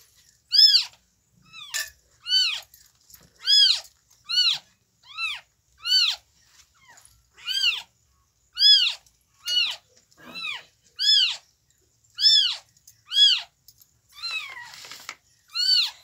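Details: In the morning, newborn kittens of Chhumpu the cat call steadily, piercing high mews rising and falling in short arcs, repeated about once a second with several voices overlapping, in a quiet room.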